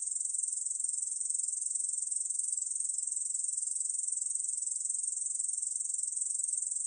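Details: Unbroken shrill buzz from a Korean bush cricket, a rapid, even trill at high pitch with a slight pulsing flutter and no pauses. Nothing else can be heard.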